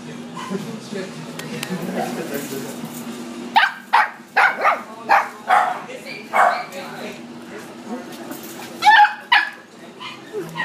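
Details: Poodle at Citipups barking in a steady run of about seven yaps spaced roughly half a second apart, pausing, then a final rapid double bark, over a low droning music background.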